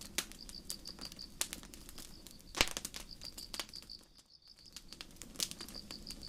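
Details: Night forest crickets beside a campfire: a bright, pulsing high chirp runs almost without pause, breaking off briefly near the end before starting again, while wood crackles and snaps loudly nearby.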